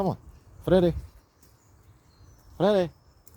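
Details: Three clear, falling meows from a Bengal kitten walking outside, the first cut off at the start, the others spaced almost two seconds apart against a quiet background.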